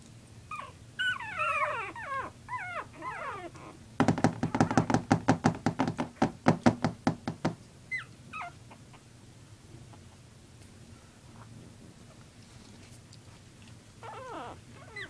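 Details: Playing puppies let out a flurry of rising and falling squeaky yips, then a rapid run of sharp, even pulses for about three seconds before quieter scattered yelps return.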